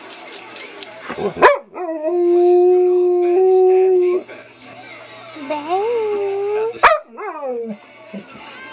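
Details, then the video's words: Raji, a female pet dog, howls when her owner prompts her: a long, steady, tonal howl held for about two seconds, then a rising, wavering howl. Short voiced yelps and human exclamations come at the start and near the end. "Raji Howling"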